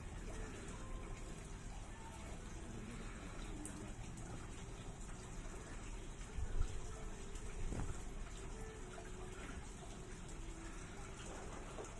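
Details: Dense rushing, water-like noise with low rumble throughout, a few soft thumps around the middle, and no animal call standing out.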